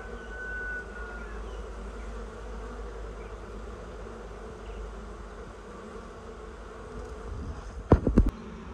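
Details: Excited honey bee swarm moving down toward the top of a new hive; continuous low droning hum throughout, a brief whistled note near the start and loud clattering knocks near the end.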